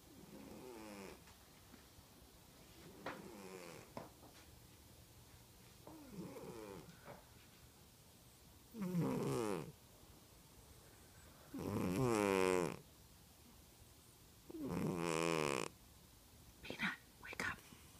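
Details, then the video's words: Thirteen-year-old overweight domestic cat asleep indoors, snoring in rasping bursts roughly every three seconds, with a few louder, longer rattling breaths in the second half. "Snoring Cat"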